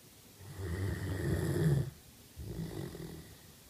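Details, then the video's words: Kate, a sleeping Great Dane, snoring: a long, deep, rumbling inhale swelling over about a second and a half, a pause, then a second, softer low snore starting, heard indoors in a small room. "Great Dane Snoring"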